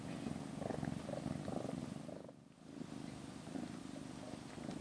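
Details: Rescued kitten on its 27th day in care, sleeping with another cat in a cat room; continuous rhythmic low purring, briefly fading mid-clip before resuming.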